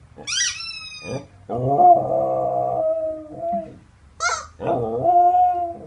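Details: Samoyed copying a squeaky chicken toy with drawn-out, steady howling moans, broken by high squeals near the start and middle.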